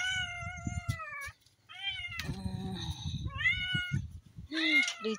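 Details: Newborn kittens, eyes barely open, searching for their mother's milk at a home in Cameron Highlands, Pahang, Malaysia; several thin, high, slightly falling meows of about a second each with short gaps, over soft rustling and a brief murmured voice.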